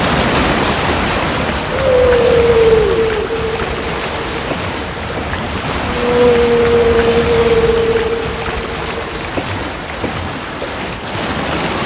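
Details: Humpback whale giving two long, drawn-out tonal moans that slide slightly downward, each lasting about two seconds, with a fainter lower tone under the second, set against steady ocean wash and wave noise.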